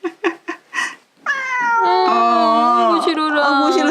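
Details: Russian Blue cat fiercely resisting a claw trim at home: after a few short sounds, a long loud drawn-out meow that starts high, dips lower and holds for over two seconds, with a woman's voice speaking.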